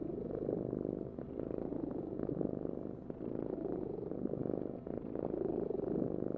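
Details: Continuous rumbling purr from a cat, dense and low-pitched, dipping briefly in loudness between breaths before resuming.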